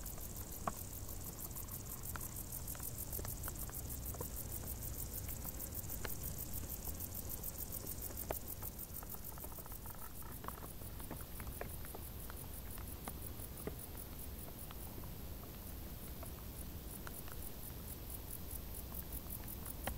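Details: Crickets in tall grass in the warm summer, their high, rapidly pulsed chirping continuous throughout, a steadier, lower buzzing tone filling the first half and light clicks dotted across a quiet rumble.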